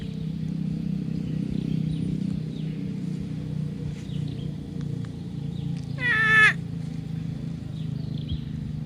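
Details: Among grazing water buffalo, one abrupt nasal call, slightly rising then falling, sounds after several seconds of low rural rumble and scattered faint bird notes.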